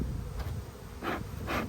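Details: Low colony hum of honey bees as an Australian beekeeper opens a low-numbered hive during a dearth, February 2022; dense low drone under soft rustling bursts from frames being handled.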